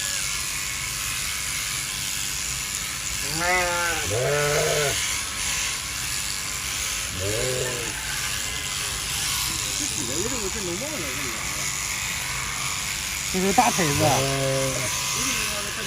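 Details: Sheep during winter shearing, giving wavering, quavering bleats in four bursts spread across the recording, some short and some drawn out, over the steady high buzz of electric shearing clippers.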